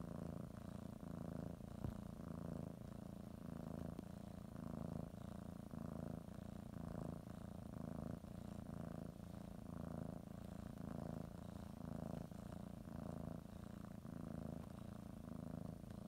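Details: Cat preparing for a morning nap, biting a blanket and kneading, purrs without stopping; a low, soft vibrating rumble rising and falling in regular breath cycles about once a second, with a small tap early on.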